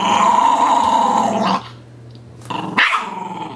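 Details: A long gravelly growl from the puppy Sonny as he plays with his dolphin pillow pet, followed after a pause by two brief sharp growled bursts.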